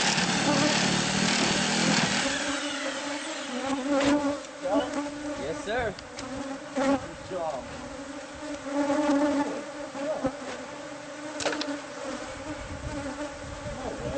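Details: Bees disturbed as their hive is cut out of a house wall. A loud rushing noise fades after two seconds, leaving a constant layered hum with brief wavering voices and scattered knocks.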